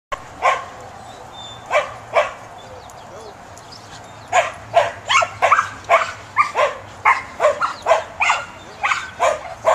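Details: Samoyed, a fluffy white herding and sled dog breed, barking during a herding instinct test: two early sharp barks, then a rapid, irregular run of loud barks in quick bursts, roughly two to three per second.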